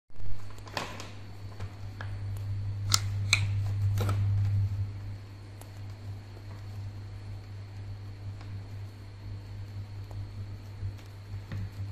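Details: Indoor hum from a fan with a few sharp rustling and crinkling clicks, and no animal voice.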